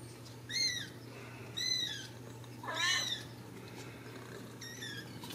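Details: Ragdoll kittens, born and raised uncaged in a home cattery in central Kansas, make four thin, high-pitched mews, each slightly arching and spaced about a second apart, over a steady low hum.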